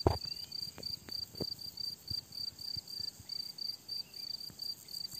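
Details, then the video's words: Crickets on a summer meadow give short high chirps in regular bursts, partly masked by low thumps and knocks close to the microphone. "Tücsök ciripelés"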